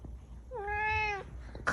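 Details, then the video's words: Domestic cat indoors giving a single drawn-out meow lasting about 0.7 seconds, steady and slightly falling at the end, rich in harmonics, with a woman speaking softly nearby before and after. "Angry 😠 Cat Meowing"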